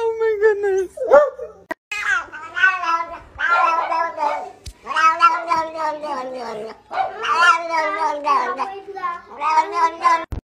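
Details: Cat caterwauling in long, wavering, strained yowls that rise and fall almost without pause, each phrase harsh and moaning, several bursts strung together over ten seconds, with brief gaps and a click near the end.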